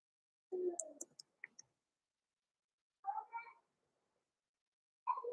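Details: Blenheim Cavalier King Charles Spaniel puppies Roman and Blue, born November 14, 2022, in an indoor puppy pen at Christmas; three bursts of harmonic, whiny yelps rising and falling, plus a few brief sharp high clicks.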